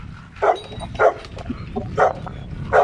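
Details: Dogs barking as a Dogo Argentino named Lilit enters among seven rottweilers, meeting females Prenses and Gece for the first time: four short, sharp barks spaced roughly half a second to a second apart over a low rumbling background.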